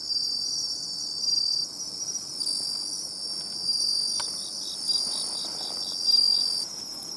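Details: Bell cricket singing near the seashore, found by following its sound: bright, high ringing bursts about a second long, repeated in a loose rhythm over a soft background hiss.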